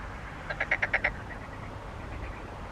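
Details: Frog calling: a quick run of five or six clipped, nasal croaks over about half a second, followed by fainter echoing pulses, against a low background hiss.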